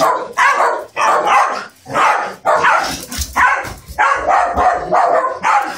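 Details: Italian Greyhound barking in an attack, recorded on an Android phone: loud, harsh barks in separate bursts with short gaps between them, roughly eight barks over a few seconds, faint voices between them.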